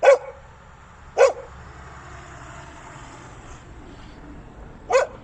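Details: Puppy giving three sharp, short barks, each a bright burst, spaced about a second and then nearly four seconds apart, over a quiet steady background hum.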